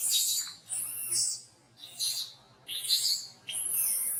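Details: Shrill crying from a monkey at Angkor Wat Park as another monkey disciplines it. Four loud, harsh, high-pitched screeches come in quick bursts of about half a second to a second, separated by brief gaps.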